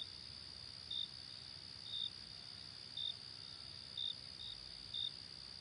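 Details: Crickets chirping at night: short high chirps repeated about once a second, six in all, over a steady continuous high-pitched insect trill.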